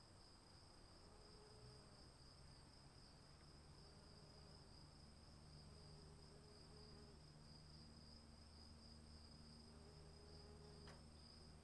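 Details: Cricket chorus during rainfall, a continuous high-pitched ringing trill holding steady throughout, a thinner higher tone layered over it, rain hissing throughout, and short lower tonal hoots recurring every couple of seconds alongside a low droning hum.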